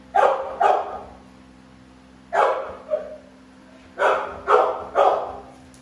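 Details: Two American Bully pitbulls, Navi and Nyla, giving loud clustered barks, pairs and triplets separated by brief silences, each bark sharp and full-bodied over a faint constant hum.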